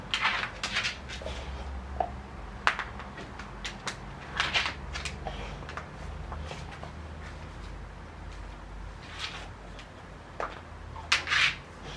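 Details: Indoor room sounds: scattered knocks and clatter, like cupboards or objects being handled, over a low steady hum, with no animal voice.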